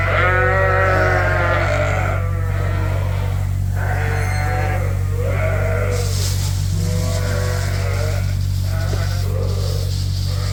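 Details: Hungry sheep, ewes and bottle-fed lambs, kept indoors on a farm during a winter blast, calling loudly for food at feeding time: overlapping wavering bleats, many voices in quick succession, over a steady low mechanical hum.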